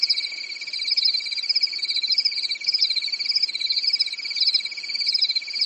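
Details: Crickets chirping on a calm summer night in a European forest: a steady, shrill trill runs unbroken beneath a higher, wavering layer of rapid pulsed chirps, with no other sounds.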